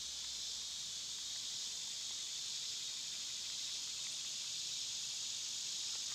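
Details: Cicadas in summer keep up a loud sizzling high drone without pause, steady in volume, with soft low rumble underneath.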